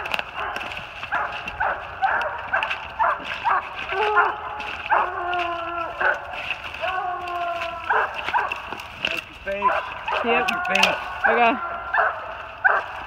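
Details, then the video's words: Three Treeing Walker Coonhounds, an open spotted female, a saddle-back male with a chop and a blanket-back male with a long bawl, treed on a big den 450 yards away in New Jersey, 28 March 2018. They give overlapping drawn-out harmonic bawls and short choppy barks throughout. "LOUD MOUTH WALKER DOGS TREED ON A BIG DEN 450 YDS"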